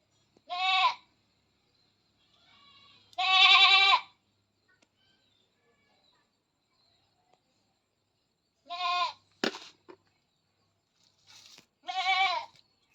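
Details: Goat on a farm during artificial insemination, bleating four times at irregular intervals in harsh, wavering cries with long quiet gaps, plus a brief sharp knock.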